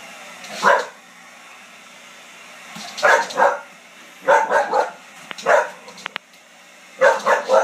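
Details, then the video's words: A pet dog barking at a hair dryer indoors, sharp barks in short bursts of two or three, spaced a couple of seconds apart, with a steady low hum beneath. "Dog barks at hair dryer"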